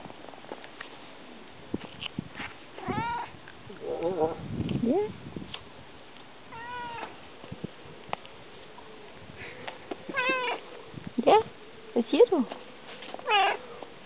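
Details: A talkative house cat answers a Danish-speaking person with a string of varied meows, some rising, some falling and chirpy, spaced irregularly between bits of speech and a short burst of music.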